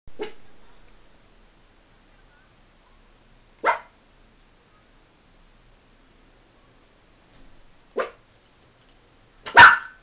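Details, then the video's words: Miniature Pinscher barking: four sharp, single barks spaced several seconds apart in an otherwise quiet room, the last one loudest. "Min Pin Barking"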